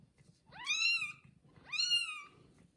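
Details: Newborn kittens, only one day old, with their mother cat indoors: two clear, high mews, each sweeping upward then holding steady, about a second apart, with a soft rustling underneath.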